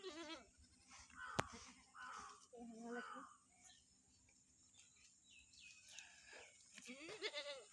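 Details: Farm goat put out in the winter morning sun, giving several wavering, nasal bleats with harmonic stacks, some short and some drawn out, while people talk nearby and a sharp click cuts in early.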